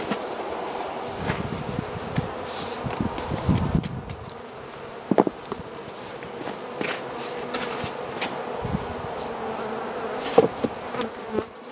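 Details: Carniolan honey bee colony in a hive being fed by the Mountain Camp method in southern Finland on 16 March 2017, +3 C outside: a steady low hum with scattered knocks and thuds from handling.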